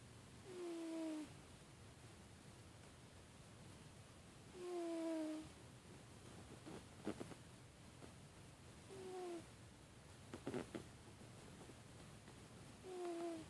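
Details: Artemis, a pet cat, snoring: breaths recur about every four seconds, each carrying a faint whistled tone gliding downward, with soft rustling and clicks between breaths in a quiet room.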